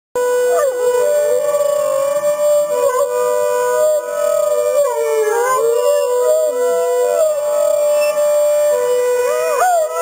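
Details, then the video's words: Two Great Danes, one much larger than the other, howl along to a broadmoor alarm; a steady siren tone dominates while wavering, sliding dog howls rise and fall over it throughout. "My Great Danes Singing"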